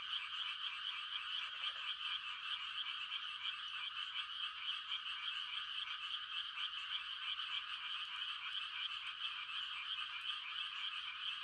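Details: Frog mating chorus from a calm country night at rice-transplanting time: continuous massed trilling calls, shimmering and steady, with one brief lower croak early on.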